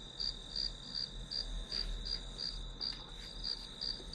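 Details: Regular high chirps from grass insects, evenly spaced about every third of a second over a sustained shrill tone and soft low background hum.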